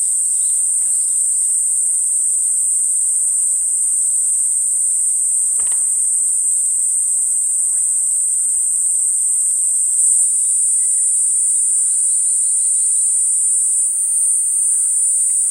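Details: Platypleura kuroiwae drones in an unbroken high, sizzling buzz, joined later by a second thin whine above it and a brief sharp tap partway through.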